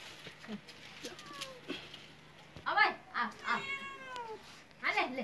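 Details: Domestic cat giving a few short meows, each a bending harmonic wail, the last rising then falling, mixed with people talking nearby and a steady low hum.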